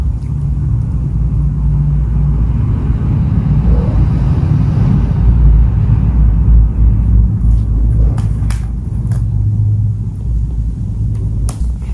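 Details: Loud, continuous low engine rumble of a vehicle, with a few sharp clicks toward the end and no animal voice.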